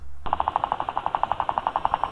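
Guinea pig teeth chattering: a fast, steady rattle of sharp clicks, about ten a second, like a tiny machine gun. It signals an angry animal that wants to be left alone.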